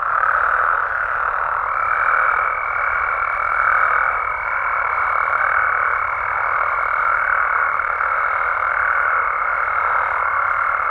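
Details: Frogs and toads of Mexico calling after dark: a steady, massed croaking chorus with slight pulsing swells. Soon after the start a sustained high-pitched tone begins and continues through the rest.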